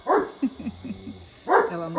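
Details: Dog barking in the background at a rural smallholding in Brazil, with cicadas also present: a sharp bark, a run of softer yelping notes, then another strong bark, over a faint steady high hum.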